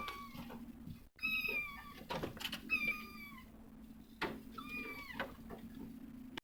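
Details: Domestic cat mother tending her kittens, uttering three clear meows about every one and a half to two seconds, each with stacked harmonics and a slight downward bend, over a steady low hum and knocks.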